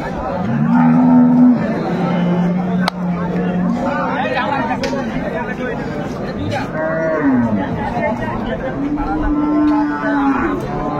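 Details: Dairy cows and calves of an improved breed at Ambari cattle market in Dinajpur, recorded 25 August 2025: several long, steady, low moos, one held for nearly two seconds, rising and falling slightly, over crowd chatter and bargaining voices.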